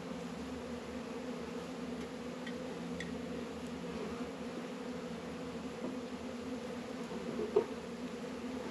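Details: Honey bees at work in a northern Kentucky apiary, Warre and Langstroth hives, warm 72°F February day: a quiet, unbroken low hum holding steady throughout, with a small tap near the end.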